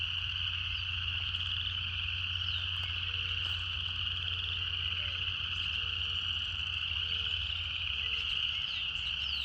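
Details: Dense cicada song forms a bright, sustained high buzz without pauses, with short low notes dotted through the second half and a steady deep hum below.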